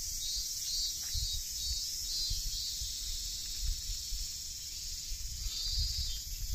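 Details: Cicadas in full chorus among trees on a hot late-August 2023 day at Tsuyazaki, Fukutsu, Fukuoka, Japan: a steady, dense high hiss that never breaks, with low rumbling and faint background noise beneath.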